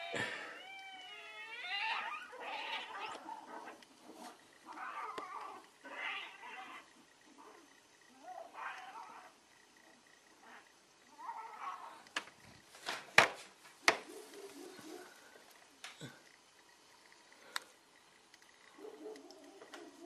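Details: Fighting cats: a burst of rising, warbling screeches, then spaced harsh yowls and growls, sharp crackling clatters in the middle, and a low moan near the end.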